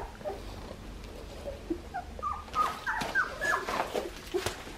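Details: Australian Shepherd puppies, about two and a half weeks old, from the litter of Poppy and Dublin at a breeding farm in Oklahoma: short high squeaks and whimpers, scattered then crowding together in the second half, over a low rumbling background.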